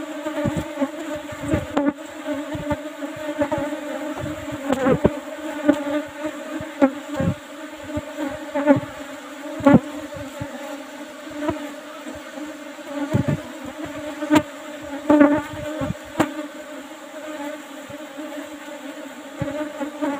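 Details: A colony of Asian honey bees drones steadily while its old box hive, topped with a used asbestos lid, is opened for a plentiful honey harvest; an even hum with rich overtones, and scattered taps and clunks of hive work throughout.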